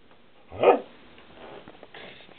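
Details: Snow, a pet dog playfully fighting with the camera indoors, gives a doggy "no" when asked whether she wants to sniff it: one short, loud, mid-pitched grumbling bark-like burst, then quiet room noise.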